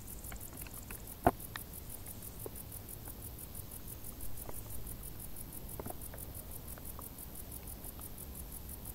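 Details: High, rapidly repeated cricket chirps from tall summer grass, steady throughout, with one sharp knock, scattered patter and a low rumble below.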